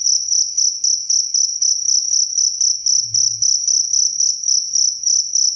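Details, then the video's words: Cricket chirping clearly, recorded for lulling to sleep and as a tutor sound for songbirds; sharp high pulsed chirps around four per second in a steady run, with faint low thumps underneath. "SUARA JANGKRIK SUPER JERNIH"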